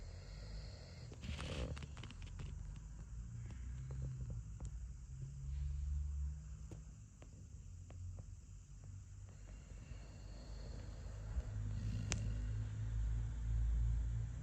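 A pit bull snores in deep, low rumbling breaths, with a few faint clicks and rustles.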